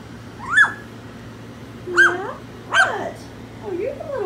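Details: Tiger, a four-week-old puppy from Skittles' litter, discovering his voice among littermates seeking attention: three sharp, high yelps about a second apart, then a softer wavering whine at the end.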